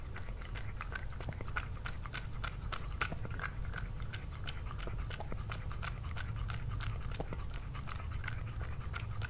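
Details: Domestic cat crunching through a meal in an ASMR eating compilation with Lily: dense, rapid chewing clicks, several per second, steady throughout against a low background hum.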